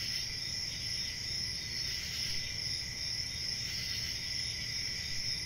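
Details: A nocturnal cricket chorus: continuous shrill overlapping trills with quick faint pulsing, and a low rumbling hum in the background.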